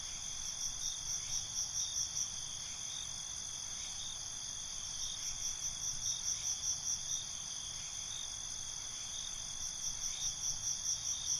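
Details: Night cricket chorus: continuous high-pitched trilling layered with rhythmic bursts of quick chirps recurring through the recording, several insects overlapping, faint low background noise.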